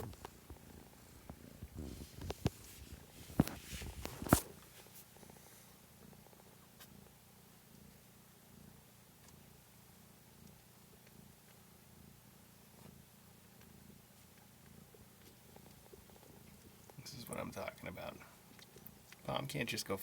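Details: Steady low purring from a kitten, recorded indoors on March 13, 2017; the even rumbling drone runs for about twelve seconds between loud rustling and scraping at either end.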